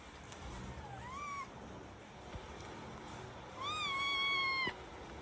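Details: Domestic cat, a mother nursing her kitten: two clear tonal mews, a short rising one near the start, then a longer, steady, harmonic-rich mew about a second long, over a faint background hiss.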